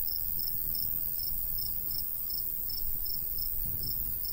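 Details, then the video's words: High, evenly spaced cricket chirps roughly every third of a second, heard in summer countryside near a golden wheat field, with breezy low-frequency wind noise beneath. "Countryside/cricket sounds"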